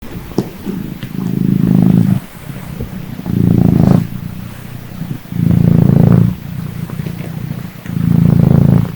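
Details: Small cat that has just woken up, purring close by; four long, low rumbling purr phrases of about a second or more each, separated by quieter inhaled gaps.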